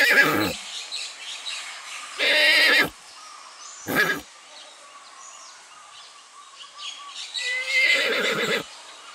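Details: Neighing goat, which has learned to imitate a horse: three strained, wavering cries, the last long and rough. Soft bird chirps and whistles fill the quiet between them.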